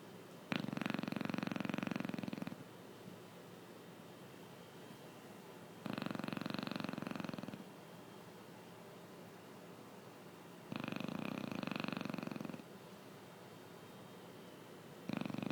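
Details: Sleeping Chow Chow snoring, with long rattling breaths of fast fluttering pulses lasting about two seconds each, repeated roughly every five seconds, separated by quiet pauses with low background hiss.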